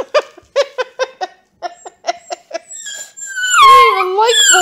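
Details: Vocal purebred Bluetick Beagle puppy called Bats howling up a storm indoors, sassing his new owner: a string of clipped barking yips about one per half second, breaking into a long rising and falling howl with a second howl at the end.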